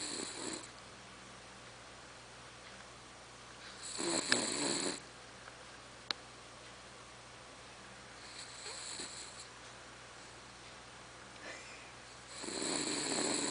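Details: Charlotte, a pet female dog, snoring loudly indoors, her owner likening her to a tractor; harsh, breathy rasping bursts return roughly every four seconds with quiet pauses between, plus one sharp click.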